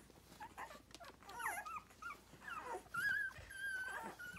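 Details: Rhodesian Ridgeback puppies, six days old, nursing; quiet overlapping whimpers and grunts with one clearer rising-falling whine near the end, over a faint background hiss.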